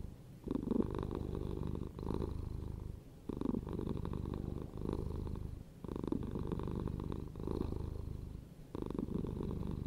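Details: A pet cat gives a continuous deep purr. The rhythmic rumble swells and fades in breath-length cycles, with short quiet gaps roughly every two to three seconds.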